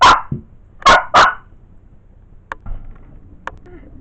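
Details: Pet male Blenheim Cavalier King Charles Spaniel at home in Wales, UK: a loud bark, then two more in quick succession, followed by faint clicks and soft household noises.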